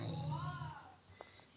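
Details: Limon, an angry cat wearing a sweater indoors, growls low and steady for under a second while its owner tries to remove the sweater, then quiets; a faint higher tone rises and falls above the growl.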